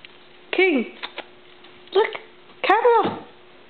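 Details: German Shepherd named King, indoors and curious after discovering a camera, gives three drawn-out, talkative whining howls that rise and fall in pitch, with a couple of short yips between them in a small quiet room.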